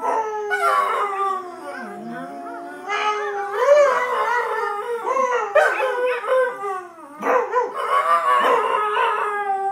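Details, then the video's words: Two pet dogs, Shanty and Yuna, howling together in long, wavering, overlapping tones that slide up and down, with short breaks between bursts and no other clear sounds. "Dogs howling funny"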